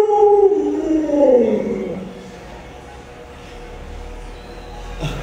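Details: Pet Alaskan Malamute named Luoluo, a dog trained in 36 tricks, gives a drawn-out, wavering vocal tone that slides downward over about two seconds. The room then falls quiet apart from a faint low rumble and a short knock at the end.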